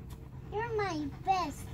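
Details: Alaskan Malamute giving two tonal, howl-like vocalisations with clear harmonics: a longer arching moan that rises slightly then slides down, followed after a short pause by a briefer falling call, against quiet indoor background.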